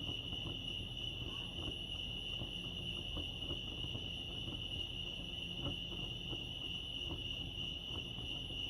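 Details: Chirping crickets recorded at Lake Arrowhead in California, forming an unbroken high-pitched pulsing drone across the whole stretch, with a soft low rumble and occasional faint knocks underneath.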